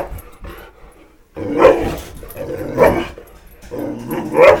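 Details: Boxer dog indoors, one of a pair named Roxy and Jackson, chasing a flashlight light: three loud sharp barks spaced just over a second apart after a quiet start, room echo behind.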